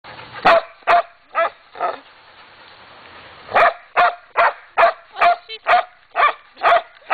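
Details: Black dog barking: a run of four short sharp barks, a pause of about a second and a half, then ten steady barks about every half second, with the upper range cut off as if by a low-quality recording.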